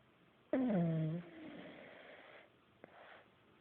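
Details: Sleeping pug named Buddy gives one loud snore indoors, a harmonic tone dropping from higher pitch into a low rasping hum lasting under a second, followed by a quiet airy exhale and a small click.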